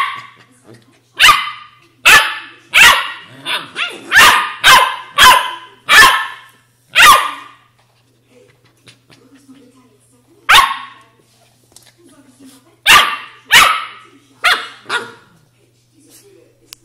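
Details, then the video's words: Australian Shepherd puppy barking in a quick run of sharp, high yaps about twice a second, pausing, then a few more scattered yaps with soft whimpers between them. "Hundebaby Unterhaltung Australian shepherd"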